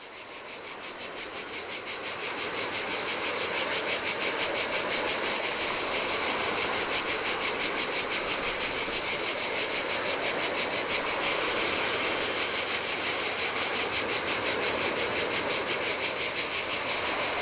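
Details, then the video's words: Cicadas singing in the heat beside the Adriatic sea on a desolate Greek island beach; a dense, high buzzing drone pulsing about three times a second swells up over the first seconds, over a soft wash of surf. "Cicadas by the Sea - Ocean Waves & Cicada Sounds"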